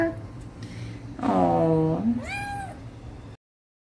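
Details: A Siamese cat meowing for food and attention, one long drawn-out wavering meow falling then rising, then a shorter rising-falling mew, over a low indoor hum.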